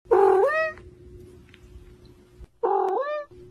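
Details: Domestic cat giving two loud meows about two seconds apart, each harmonic, rising then bending down, with a steady low hum in the background.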